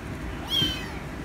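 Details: Rescue kitten seeking attention, one brief, high, thin meow held for a moment, with a soft low background hum.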